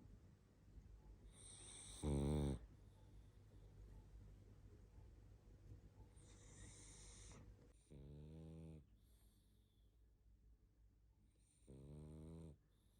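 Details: Barney, a pug, asleep and snoring: three drawn-out, rattling, buzzy snores near two, eight and twelve seconds, each under a second long, separated by quiet whistly nasal breathing and soft sniffling.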